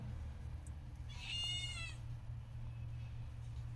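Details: One of a cat's hidden kittens, with two found tucked away indoors. It gives one clear, high-pitched meow of just under a second that wavers, then dips at the end. A low electrical hum runs steadily behind it.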